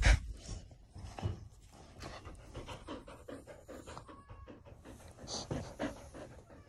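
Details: Border Collie panting in the morning indoors: quick, breathy, rhythmic huffs with soft gasps and a few faint higher squeaks, all close to the microphone.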